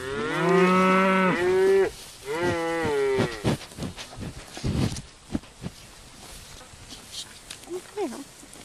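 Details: Cattle grazing: two long, loud harmonic moos in the first three seconds, the first steady then falling, the second wavering, followed by soft thuds and rustling of grazing, with a faint higher call near the end.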